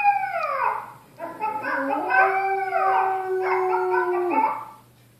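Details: Taki, an Estrela Mountain Dog, howls at a puppy on TV in long, wavering tones that slide down and then hold steady.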